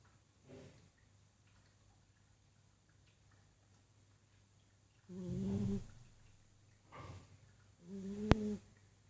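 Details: Persian cat asleep indoors, snoring in soft, uneven bursts: a faint breath near the start, then louder rasping snores around the middle and end, with a sharp click near the close.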